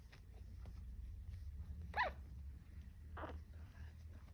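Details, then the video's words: Pug puppies, 14 days old, just starting to walk indoors, making small low noises; two brief squeaky yelps about a second apart over a steady low hum. "puppies pug dog 14 day old,started walking and making low noises"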